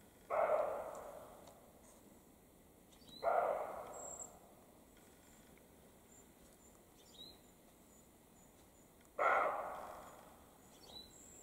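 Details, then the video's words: European roe deer, male and female, barking in the spring mating period in the Carpathian mountains; three harsh, hoarse barks spaced about three seconds apart, with faint high bird chirps in the background. "Barking European roe deer, male and female, in mating period"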